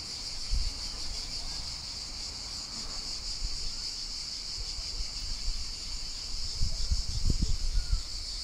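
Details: Cicadas singing in the countryside last summer, a lightly cleaned recording: a steady, shimmering high buzz with a fast pulsing texture that holds throughout, over low rumbling thumps of wind or handling, stronger near the end.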